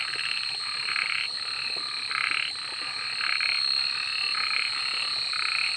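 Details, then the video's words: Frogs calling at night, short buzzy croaking bursts repeated about once a second over a steady high insect-like whine. "suara kodok dimalam hari"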